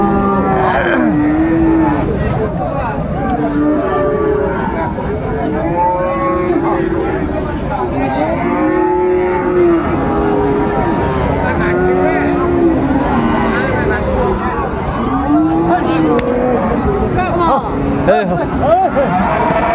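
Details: Raniganj market in Dinajpur, 26 December 2024, crowded with Friesian and cross-breed bull calves: a steady run of arching moos from several animals, one after another, under continuous crowd babble and traders' voices.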